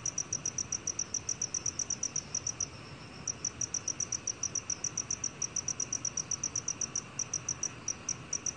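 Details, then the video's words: A black field cricket chirps in quick, high, evenly spaced pulses, around three to four per second, with a short break near three seconds and small irregular gaps later; low background hiss. "검은귀뚜라미, 1번 듣기, 곤충소리"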